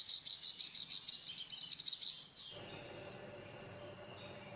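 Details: Insects heard in the wild: a constant piercing high hiss-like drone that never pauses, with background texture shifting abruptly about halfway through.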